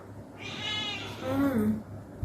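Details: Pet cats being played with indoors; a single drawn-out meow with rich stacked harmonics rises and then falls over about a second, while a woman's voice murmurs in the background and a low hum runs underneath.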